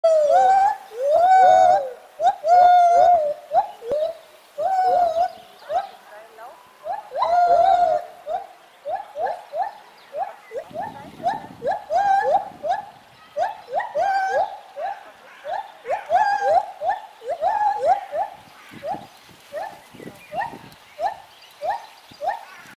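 Gibbons sing loud, rising whooping notes that repeat in a quick, run-on series.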